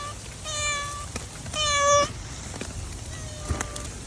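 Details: Stray cat on a rainy day giving three meows, the middle one louder and longer with a strained, rising-then-falling tone, amid dripping rain and faint background noise.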